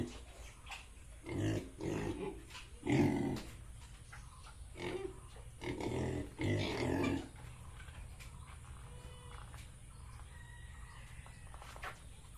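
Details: Farmed Yorkshire and Hampshire pigs in Bongaigaon, Assam, uttering a series of rough, low grunting bursts over the first seven seconds, then fading to quiet farm background with faint distant sounds.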